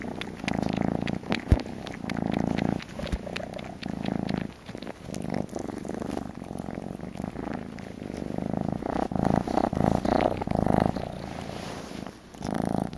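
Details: Kitten wanting a bottle keeps up a softer, low purr in uneven bursts, with scattered clicks and rustling and a sharp tap near the end.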